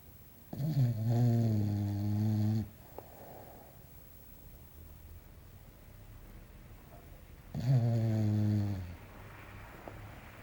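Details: Belchior, a small English Bulldog, asleep and snoring in a quiet room: two drawn-out, deep, rattling snores about five seconds apart, each lasting roughly two seconds, with quiet breathing between.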